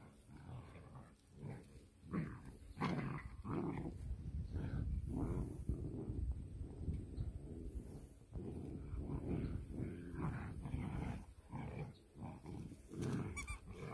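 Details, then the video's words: Irish Wolfhound puppies, three of them, playing tug-of-war: low rumbling growls in irregular bursts, rising and falling through the struggle, with scuffling and shuffling underneath throughout. "3 Way Tug-of-war; Irish Wolf Hound Puppies"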